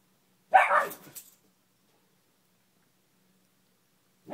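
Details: Indoors, a pet beagle named Gia barks at a Spider-Man lamp that fell to the middle of the room, play bowing at it. A single sharp, loud bark, then a brief trailing echo and silence.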